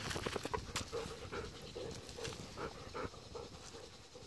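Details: Two Golden Retrievers, let out at midday on 14 October to go to the field, excited about the walk and playing roughly together: rhythmic, breathy panting with short whining tones, about two to three pulses a second, fading toward the end.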